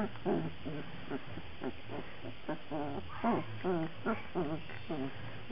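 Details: Several black Labrador Retriever puppies from a breeding kennel give short, wavering whines and squeals that bend up and down in pitch, repeated rapidly and unevenly over low rumbling background noise.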